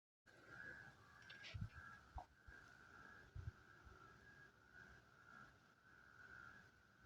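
Many frogs call at once, their voices merging into a continuous, even-pitched hum that holds steady throughout. A few low thumps and knocks break in close by.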